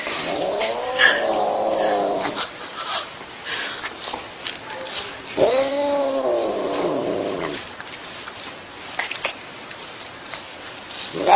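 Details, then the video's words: Cat making freaky, drawn-out caterwauling noises, wavering rising and falling moans in two long bouts separated by quieter rustling background. "Possessed Cat Makes Freaky Noises"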